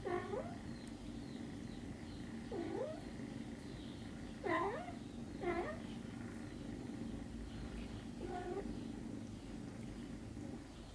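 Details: Small kittens suckling from their mother cat make five quick, bright meows with a swooping V shape, clustered in the first half and spaced about two seconds apart, over a constant low hum.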